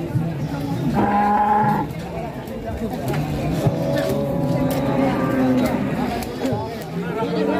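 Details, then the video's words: Cattle in a market panic after a fat animal runs wild and falls; one clear mid-pitched moo lasting under a second, followed by people talking, a busy crowd and faint music. "SAPI NGAMUK AMBRUK BIKIN PANIK WARGA PASAR"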